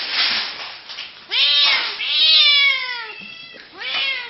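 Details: Kitten giving three drawn-out meows, each rising quickly then sliding slowly downward, the middle one longest and loudest, over a quiet indoor background.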